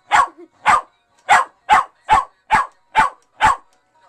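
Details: West Highland White Terrier barking excitedly at a singing fake fish that plays Christmas songs; eight loud, sharp barks in quick succession, roughly two per second, one faint short yip early on.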